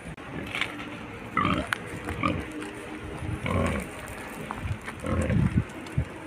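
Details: Wild pigs on their way down a mountain, giving deep grunts broken by a few short higher squeals at irregular intervals, with faint background hiss.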